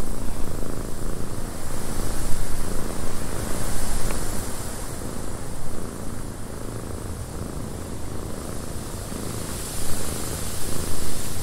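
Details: Domestic cat purring in a windy cabin, a low, steady rumbling purr beneath constant broadband wind noise that swells and eases.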